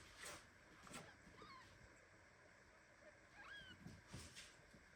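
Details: Premature kitten meowing indignantly while hugged tightly by mother cat Ginny, among several litters of kittens: two thin, high rising-and-falling mews, one near 1.5 seconds and a stronger one near 3.5 seconds, over faint rustling and handling noise.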